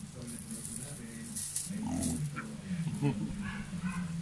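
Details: A black dalmatian pig in the Philippines, playing with a walis ting ting broom, gives low soft grunts in short irregular bursts, with scraping and rustling close by.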